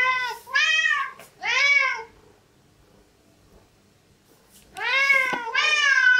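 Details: Pet cats begging at a breakfast table; loud, drawn-out meows come in pairs, each rising then falling, with a quiet pause of about two seconds between the pairs.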